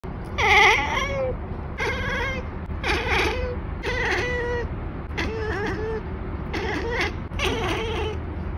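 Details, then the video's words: Scottish Fold cat chattering: seven bursts of rapid, clicking, stuttering chirps with harmonic warbles, each lasting about half a second, spaced roughly a second apart over a low steady background hum. "ekekekkekkek ☁️"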